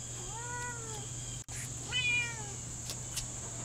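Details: Lynx Point Siamese cat talking back, giving two drawn-out, harmonic meows about a second apart, the first level and the second higher and falling away, over a steady high electrical whine and low hum.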